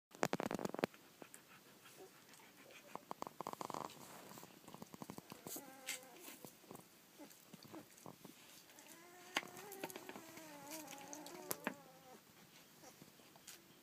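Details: Collie puppies aged one and fourteen days, recorded on 1 June 2013, giving soft, wavering high whimpers in short bursts amid faint rustling and handling noises.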